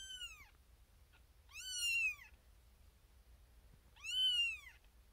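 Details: Xena Thumbalina, a tiny female kitten born April 1st, 2021, firstborn of her litter, crying for her owner from a birthing box shared with six sleepy littermates; three loud, high, bending meows, each under a second, spaced about two seconds apart.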